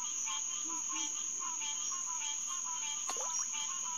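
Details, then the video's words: Nighttime chorus of green tree frogs, Hyla cinerea, at a refuge headquarters pond on June 2, 2021, about 9:10 pm. Short, bright quonking notes overlap in uneven succession, with a sharp falling squeak midway and a constant shrill insect hum behind. "Green Tree Frog Chorus"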